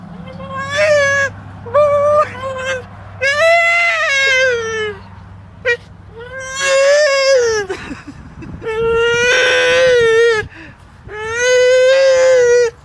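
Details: Crying male English Bulldog kept behind a fence from greyhounds he wants to play with: a run of loud, high, wavering whines, some short and choppy, others long and sobbing, repeated several times, with low hum underneath.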